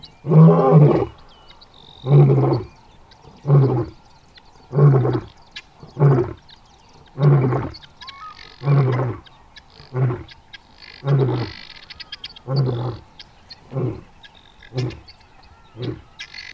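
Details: A male lion in South Luangwa roars in a series of deep, throaty grunts, each about a second apart.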